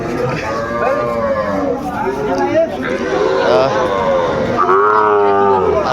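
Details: Sahiwal cattle at a busy cattle market in Comilla, Bangladesh, where bull calves are sold: long, drawn-out harmonic lowing that rises and falls, with several moos overlapping amid constant human chatter and bargaining voices.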